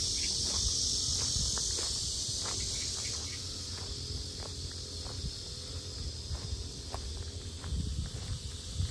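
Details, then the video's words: Very loud cicadas around the lotus park at Sinjeongho Lake, Asan: a steady high shrill buzz, strongest in the first three seconds and then easing, over crunching footsteps as someone walks. "매미소리 주의"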